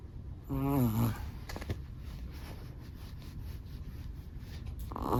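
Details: Sleeping black-and-tan Chihuahua snoring indoors: a buzzy, harmonic nasal snore near the start, a brief lower rumble, then a quieter snore at the end over soft room hiss.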